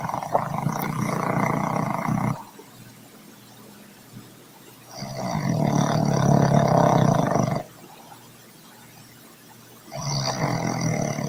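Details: Troy the dog snoring nonstop: three long, coarse, rumbling snores of two to three seconds each, roughly every five seconds, with near silence between breaths.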